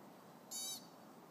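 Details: Single sharp high chip from a chipmunk on the Pacific Crest Trail, upset by people close by, a brief bright note over soft background noise.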